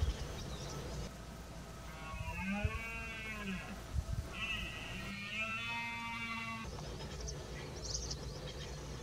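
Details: A red deer stag in the Extremadura dehesa at the peak of the rut, as males compete for females, gives two long, harmonic roars, rising then sagging, over a low background rumble.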